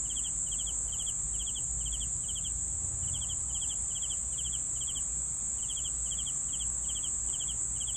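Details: Steady cricket chirps, each a tight burst of a few pulses, repeated evenly about three times a second with one short gap, set against an unbroken high-pitched insect trill and faint low hum.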